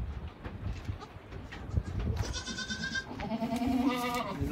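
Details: Boer goats in kidding pens at a stud during kidding season, among does and their newborn kids including triplets: after pen shuffling comes a thin nasal bleat, then a longer wavering bleat that slides upward, over steady background noise.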